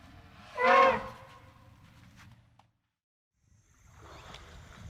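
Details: A single elephant trumpet, a brief whistle-like blast with a clear harmonic tone, then quiet with faint background noise.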